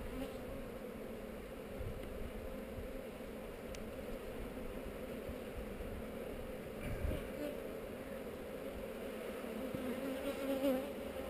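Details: Colony hum of honey bees kept on heather, heard while the hive is opened for inspection on a GoPro: a continuous low drone, unbroken throughout, with a soft rustle of frames midway.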